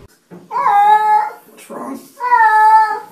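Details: Cat talking with its owner: two drawn-out, steady tonal meows of about a second each, separated by a short pause filled with a soft, low murmur.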